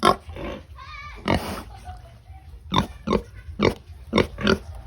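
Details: Feeding pigs giving short abrupt grunts in quick bursts, with one brief higher wavering squeal early on, then a run of clipped barking grunts.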